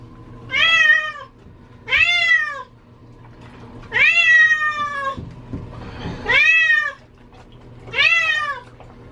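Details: Cat that hates water crying during a bath indoors: five loud, clear meows, each rising then gently falling and lasting under a second, spaced about two seconds apart, over a low steady hum.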